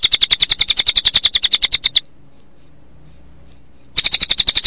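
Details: Cricket chirping mixed with cililin bird sound, made as a playback combination for training songbirds, played in late afternoon toward evening; rapid high pulsed chirps in fast trains, broken midway by a few spaced sharp notes, then resuming.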